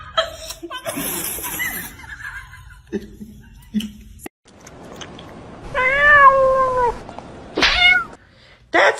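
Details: Domestic cat giving a drawn-out, wavering meow with stacked harmonics, followed by a short sharp cry; a person speaks and laughs around it, with background music.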